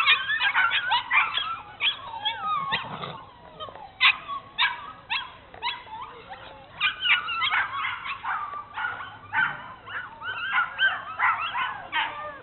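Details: At Cape Bernese Kennel, Bernese Mountain Dogs Mrs. Red and Mr. Green on an exploration tour keep up an almost continuous chorus of high, wavering whines and sharp yips, overlapping, with hardly any silence.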